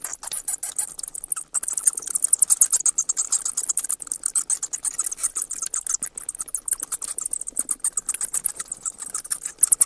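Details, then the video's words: Constant shrill bat chatter, fast ticking squeaks repeated almost nonstop, loudest around two to three seconds, all very high-pitched. "เสียงค้างคาว Bat sounds"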